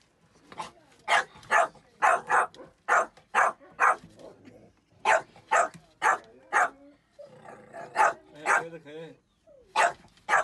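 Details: Jack Russell terrier barking after raiding a chicken coop: sharp, loud barks about twice a second in uneven bursts, with a short break midway. A man's voice calls the dog out between the barks.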